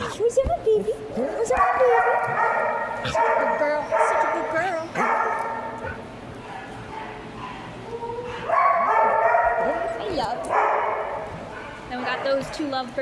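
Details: Penny the dog vocalizes for cuddles with drawn-out, harmonic moaning whines in several bursts, mixed with a woman speaking and laughing softly between the cries.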